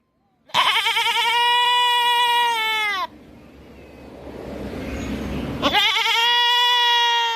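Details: Goat bleating, as heard on farms and in rural villages: two long, loud, wavering harmonic-rich bleats, the first about two and a half seconds, separated by a soft breathy pause with faint background noise.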